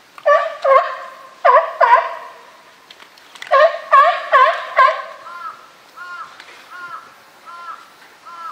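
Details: California sea lions in a group at Higashiyama Zoo and Botanical Garden, photographed on Tuesday 12 September 2023, the bull Felix leading; loud harmonic honking barks in bursts, then a series of softer, evenly spaced short calls.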